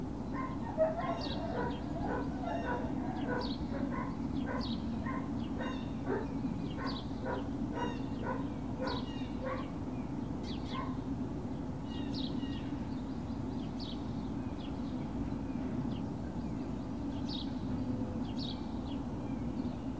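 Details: Great Dane puppies, Puppy Hill, 21 March 2019. A rapid run of squeaky yips and whines fills the first half, then thins to scattered high yelps, all over a steady low background hum.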